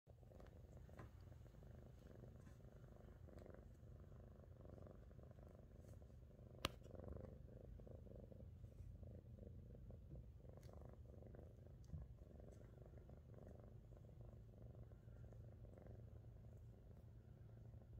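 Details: A blue female Scottish Fold cat, born 05/09/22, purrs steadily, a low continuous rumble with a soft pulsing rhythm.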